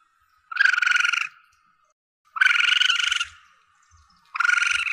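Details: Young Asian palm civet calling, a recording used to lure the animal when hunting: three harsh, buzzy, pulsing harmonic bursts, each under a second long, spaced about two seconds apart over silence.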